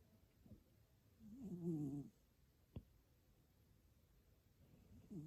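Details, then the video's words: Pierre the cat, asleep, gives a low, buzzy, wavering snore lasting about a second, followed by a single sharp click and a fainter snore starting at the end. "Snoring kitty"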